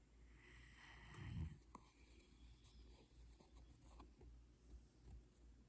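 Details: A Rottweiler napping with a grabbed shirt snores in low, rumbling breaths while asleep.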